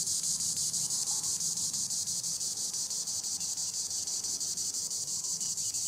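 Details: Green annual cicada (Tibicen linnei) up in the treetops, giving an unbroken shrill, buzzy drone that throbs in regular pulses roughly three per second, with nothing else competing.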